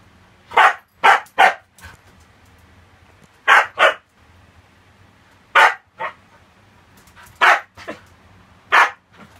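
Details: Indoor Siberian Husky that ran in from the next room and barks at a cockroach it found: about nine loud, sharp barks in clusters of two or three, separated by short pauses, with panting and a person's voice.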